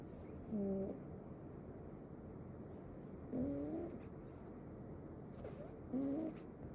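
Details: Male Ragdoll kitten snoring in its sleep, giving three brief squeaky whistling breaths, some rising slightly, spaced roughly two to three seconds apart against a quiet hissing background.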